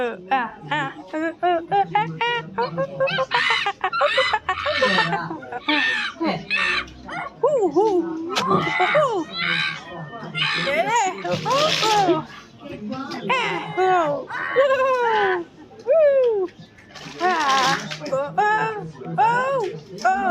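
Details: Dense chorus of silvery gibbon whoops, with hooting notes rising and falling, some arching higher into bright squeals, in long busy bursts broken by brief pauses.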